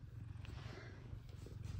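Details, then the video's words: F2 Savannah cats Kumba and Zara, happy their owner is home from work, give a low, steady rumbling purr with a pulsing rhythm. A faint high whine runs in the background. "Sweet F2 Savannah Cats Are Happy I’m Home. Meows And Purrs."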